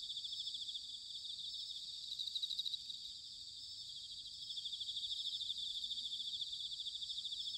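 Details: Autumn chorus of bell crickets recorded in Sanuki, Chiba Prefecture, Japan: several high, shimmering pulsed trills layered into a continuous ringing band, with a faint low rumble of background noise underneath.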